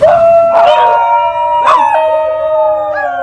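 A New Guinea singing dog howls in a strongly tonal, sustained voice, holding each note before sharply jumping upward and then settling. Rich overtones give the sound its distinctive, almost sung quality.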